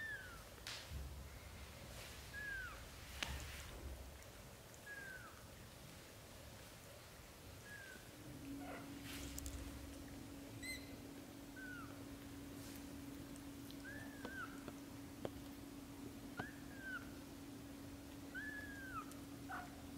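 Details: Young British shorthair kittens, up to 30 days old, giving a run of about ten thin, high, downward-curving mews, steady throughout, over a low continuous hum with occasional clicks and knocks.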